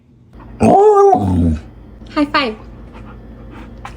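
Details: Samoyed dog gives a drawn-out, harmonic howl-like note lasting about a second, then a short rising-and-falling yelp; a person talks nearby over low indoor room noise.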